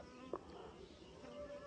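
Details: A honey bee collecting nectar from mustard flowers gives a soft, steady wing buzz that drones low and even, with a faint click partway through.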